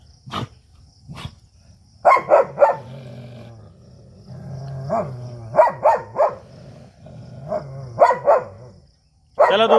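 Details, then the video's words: An Indian street dog and a German Shepherd fighting: bursts of loud, harsh barks in quick clusters alternate with low rumbling growls, while a man's voice tries to calm them. "देशी और जर्मन शेफर्ड dog 🐕 के बीच हुई तगड़ी फाइट"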